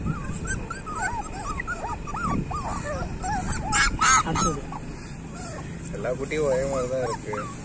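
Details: Street dog puppies in a litter, crying almost nonstop with short arched whines and yips that bend up and down, several voices overlapping, while people talk nearby in Tamil and background hum runs underneath.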